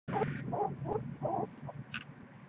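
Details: A large, year-and-a-half-old guinea pig purrs in a low, buzzing rumble broken into short repeated pulses.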